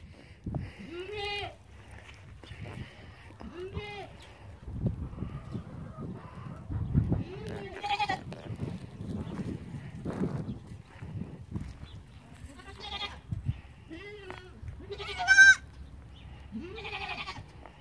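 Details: Young goat kids bleating: several short wavering bleats with rich harmonics, some rising and quavering, spaced every few seconds, with low rumbling and handling noise between calls.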